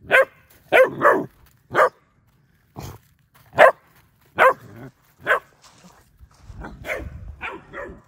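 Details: Female German Shepherd puppy barking while scared of a fake deer; sharp barks in irregular bursts, roughly nine across eight seconds, some doubled in quick pairs, with faint coaxing human voice and shuffling near the end.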